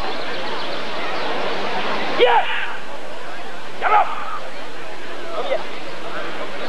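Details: Rottweiler at the 1994 ADRK Körung breed survey, giving three short, sharp barks about one and a half seconds apart over a steady murmur of crowd noise and background hiss.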